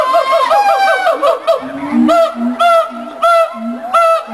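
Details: Siamang mated pair at a zoo in Columbus duetting to establish territory and reinforce their bond; a run of quick yelps gives way to loud whoops repeating roughly every half second over low droning booms.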